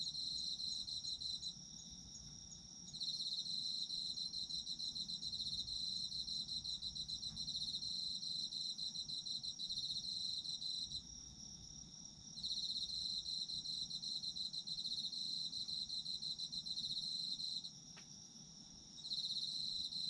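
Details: Autumn insects trilling in a recording made for sleep: shrill rapid pulsed calling carries on for stretches of up to nine seconds, dropping briefly three times, with a constant high whine and little else around.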